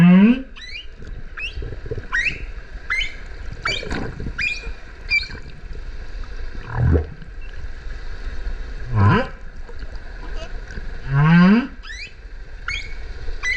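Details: Underwater humpback whale song near the Kerama Islands, Okinawa, breeding grounds visited January to March, mother and calf pair: a series of short upswept chirps and squeaks alternating with deep rising groans roughly every two seconds.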